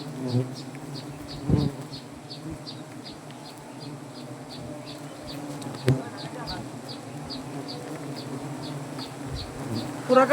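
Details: Continuous low buzzing of a honey bee swarm at a banyan tree hive in Gazipur, Bangladesh, while comb is cut for honey; steady drone overlaid by a bird or insect chirping rhythmically in the background, with occasional thumps.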